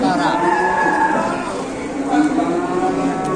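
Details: Huge farm cow in Indonesia lowing in one steady, richly layered moo that lasts almost the whole clip, with a faint vehicle hum behind it.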